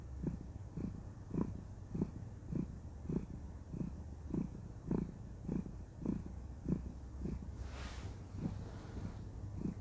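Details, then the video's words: Content female cat purring during cuddle time, regular low rumbling pulses around 105 per minute, interrupted near the eighth second by a brief soft rustling noise. "Cuddle Time: Enjoy the Sweet Sound of Purring"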